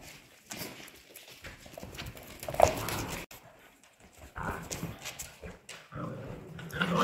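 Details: Polish Hunting Dog puppies, 55 days old, playing together: short scattered yaps and growly bursts come in irregular clusters, loudest near the middle and end, over constant scuffling and rustling noise.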